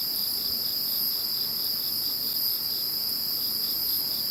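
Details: Chorus of insects heard after Typhoon No. 21 had passed: steady high, continuous trilling bands layered at several pitches, with a faint pulsing trill beneath, unbroken throughout.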